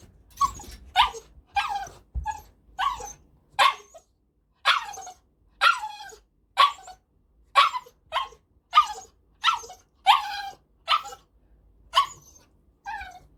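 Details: A pet male Cavalier King Charles Spaniel, 7.6 kg, born May 2019, barks steadily in a long run of about eighteen short, high yaps with brief pauses between them.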